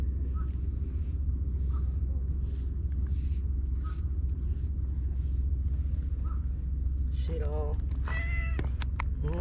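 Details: Stray white cat, outdoors among tetrapods, giving a few short meows near the end after a long stretch of steady low rumbling background noise, with a person speaking softly.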